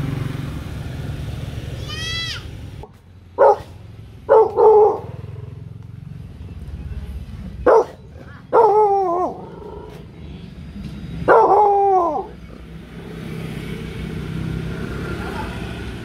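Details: A four-month-old female Rottweiler puppy on her first outing to a street-side drinks stall gives short, sharp barks in bursts at people carrying things past, guarding as if at home.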